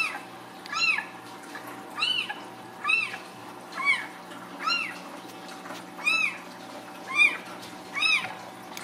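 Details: Ragdoll kittens raised uncaged in a home cattery in central Kansas; high thin arched meows repeated roughly once a second, each short and rising then falling, over a steady low indoor hum.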